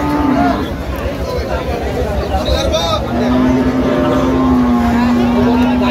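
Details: Cow, one of the thin, bony dairy cows at the Aftabganj cattle market on 1 November 2025, giving a long, steady, low moo midway through. Men talk throughout over the constant hum of the busy market crowd.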